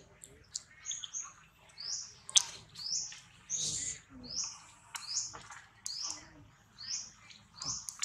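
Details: Baby monkey Rex protests weaning by his mother Rose with repeated high, thin, arching squeals spaced about half a second apart, plus a few sharp clicks and soft low thuds.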